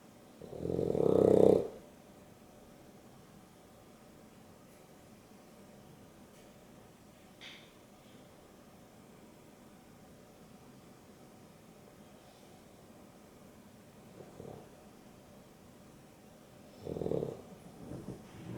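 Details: Boston Terrier and Beagle mix Dexter and Rio asleep indoors during an afternoon nap, Dexter snoring: one loud rasping snore at the start, then quiet breathing, then two softer snores near the end.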